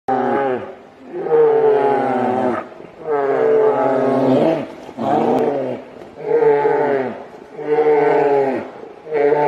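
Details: Grizzly bear (Ursus arctos horribilis), roars: aggression as an argument between two bears becomes a fight.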